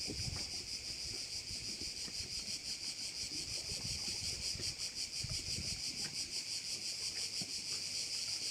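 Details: A bay on Korčula in Croatia, alive with crickets: continuous high, pulsing insect shrill at roughly three beats per second, joined by gusts of wind and soft low surf or boat noise.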